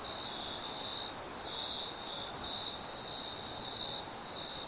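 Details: High, shrill cricket chirping carries through a night forest, almost continuous with small pulsing breaks, a faint higher whine, and soft wind noise underneath.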